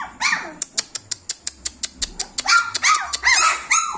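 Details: Whiny yelps from 26-day-old German Shepherd puppies open and close the clip, with a quick, steady train of sharp clicks between them and overlapping high wavering cries at the end.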